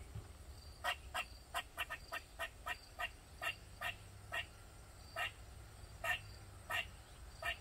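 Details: Squirrel in a backyard in Maryland, calling loudly for over 45 minutes; short, sharp chucks repeated irregularly, about two or three per second in bursts, with a low steady hum underneath.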